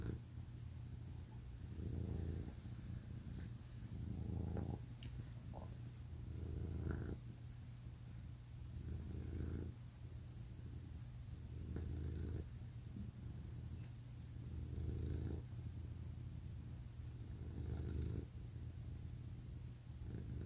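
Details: Deep rumbling purr from a male domestic cat, rising and falling in regular breathing cycles about every two and a half seconds, with a faint constant low background hum.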